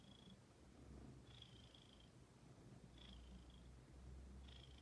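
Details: Pet female ginger-named house cat purring while waiting to be petted: a low continuous rumble throughout, with a faint high whine recurring every second or two in the background.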